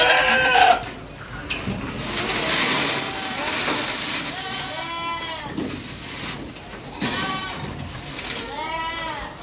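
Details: Ardi goats kept by a Kuwaiti breeder: a loud rushing noise fills the opening seconds, then short wavering bleats recur from several animals every second or two over steady background noise.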